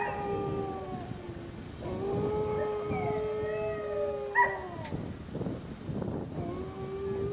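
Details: Kara, a black female Siberian Husky with blue eyes, howling like a wolf: long, steady, tonal howls that slide and bend in pitch, one rising sharply near the middle, over a low background rumble.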